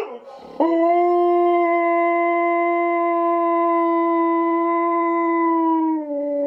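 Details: A Husky x German Shepherd mix dog gives a long, steady, mournful howl in response to howling wolves.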